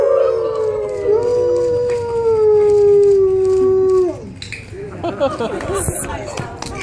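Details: Wolf howling in captivity at the San Diego Zoo, 2014: one long steady howl slowly falling in pitch for about four seconds, then fades into quieter mixed chatter and background noise.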